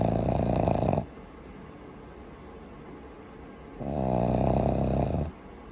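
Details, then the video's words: Boston Terrier puppy Maru asleep and snoring very loudly indoors: a long raspy snore, a pause of nearly three seconds, then another strong rattling snore of about one and a half seconds. "爆音!? ボストンテリア 子犬まるのいびき!!"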